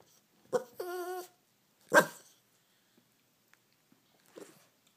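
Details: Hungry Bichon Frise barking indoors to ask for a treat: a short sharp bark, then a drawn-out tonal whining yelp, a loud single bark, and a softer bark near the end, with quiet pauses between.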